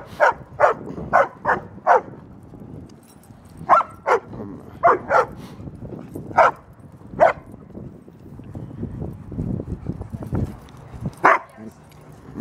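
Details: Female German Shepherd Ellie, 75 pounds, playing at a dog park with a male Doberman and male Great Dane and seeking attention, lets out a long run of sharp, evenly spaced barks, some in pairs, with pauses and footfall noise between.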